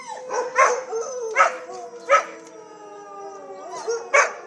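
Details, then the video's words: Pandora and Winston, two pet dogs, during tornado sirens: short yelps and yips at uneven intervals over a faint sustained tone, with brief wavering howl fragments. "Pandora and Winston- tornado sirens!"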